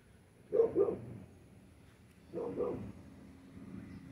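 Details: Cattle Dog and Great Pyrenees mix puppy, almost seven months old, on a hot day in Texas, giving two short, low, double-pulsed barks about two seconds apart, with quiet room noise between them.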